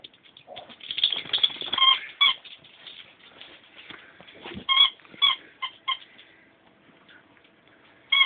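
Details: Ten-week-old Bichon Frise puppies making thin, high squeaks and whines, scattered and irregular, with softer rustling and scuffling between calls and a sharp squeak closing the sequence.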